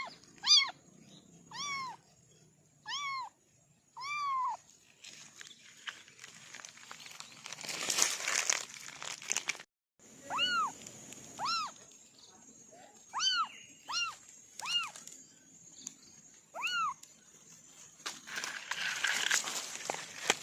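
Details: A long series of short, high kitten mews, clustered in quick bursts of three to five, broken by rustling and crackling noise bursts and a brief silence midway.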